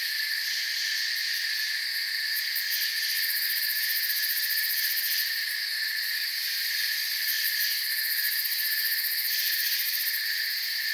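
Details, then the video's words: Crickets in a forest soundscape, many insects chirping at once as a dense, unbroken high-pitched shimmer in stacked steady bands, with faint fluttering pulses near the top; no other clear sounds. "Forest Sounds and Crickets"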